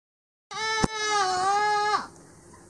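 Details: Angora goat named Elizabeth, a one-and-a-half-year-old female in yearling mohair, on a shearing stand at Dillner Hillside Farm; one long, steady, wavering bleat of about one and a half seconds, strongly harmonic, ending abruptly, with a sharp click near its start.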